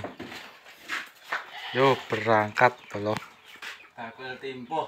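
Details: Fullblood Boer goats being delivered from a breeding farm in Blitar, Indonesia, to a pen in Kepung, Pare; a few wavering, quavering bleats in quick succession midway, with people talking throughout and more voices near the end.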